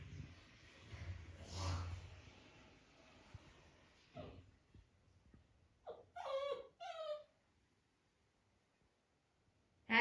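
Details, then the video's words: Labrador Retriever puppy named Happy, indoors, asking to be put on the bed for cuddling; two short whiny harmonic whimpers around the middle after soft rustling, then a sharp knock at the end. "Lab Puppy asking to get him to bed for cuddling"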